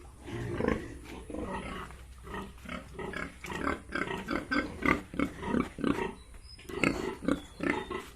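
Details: Yorkshire and Hampshire pigs on a farm in Bongaigaon, Assam, with several animals grunting in short rough bursts about every half second, with other overlapping grunts and squeals throughout.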